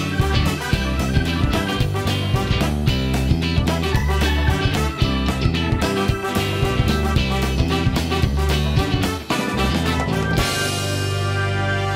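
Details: Loud upbeat guitar-led swing music fills the whole stretch, with no animal sound heard.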